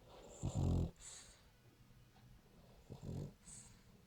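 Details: A sleeping French Bulldog snores in a small indoor room: two deep, rattling, low-pitched snores about two and a half seconds apart, each followed by a soft hissing exhale, with quiet breathing between them.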